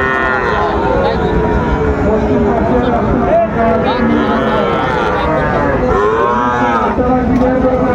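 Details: Bull cattle at a busy cattle market in Comilla, Bangladesh, on 5 September 2024; several cattle moo in overlapping, wavering low calls over steady crowd chatter and market hubbub.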